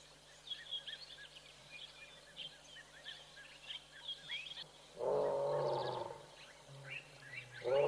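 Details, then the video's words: Lions of Tembe, looking a little bored, on a live African bush camera: busy twittering birdsong fills the first five seconds, then a loud, deep, rough roar bursts in for over a second, with another starting at the end. "Roars of Boredom"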